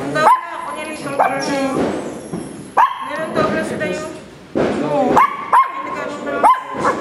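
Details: A two-month-old female puppy protests her playmate getting more attention with bursts of high, upward-sliding yaps, some in quick pairs, while a woman talks steadily in the background.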